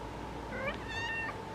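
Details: Female orange cat vocalizing in the golden-hour sun, with a short two-part meow that rises and then wavers over faint room hiss. A woman talks softly around it.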